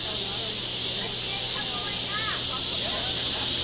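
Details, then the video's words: Cicadas and crickets start up as the sky darkens just before totality of the August 2017 total solar eclipse, early afternoon in Sweetwater, Tennessee. They form a steady, high, hissing chorus droning without pause. "You can hear the cicadas and the crickets."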